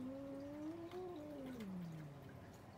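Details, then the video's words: Arguing cats: a moaning yowl, wavering slightly, then sliding steadily downward into a low growl-like tail over about three seconds, with faint room noise underneath. "Cats Arguing | Cats Talking Each Other"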